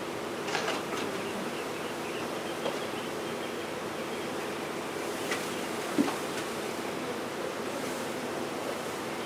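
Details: Honey bee swarm in a garage in Brownsville, Texas, during a removal for relocation: a dense, steady, low buzzing hum that holds without a break, with a few faint clicks and knocks.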